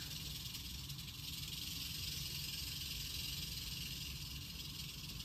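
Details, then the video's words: A hefty, healthy captive eastern diamondback rattlesnake, Crotalus adamanteus, from the Stones World collection, rattling in a continuous dry, hissing buzz that holds steady throughout, loudest in the high register, over a low background rumble. "Eastern Diamondback Rattlesnake Rattling"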